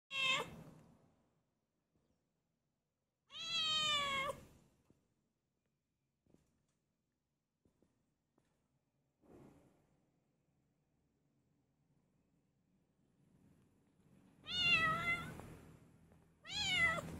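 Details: A stray cat outside a house meows loudly in long, wavering, drawn-out cries, one near the start, one around four seconds, then two more at the end, with quiet gaps and faint knocks between.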